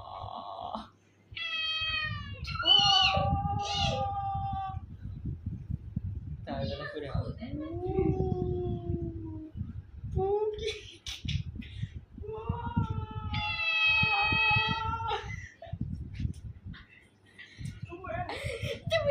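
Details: An angry black cat gives drawn-out, wavering yowls in long harmonic bursts, some rising then falling, with pauses between. A person talks throughout and music plays underneath.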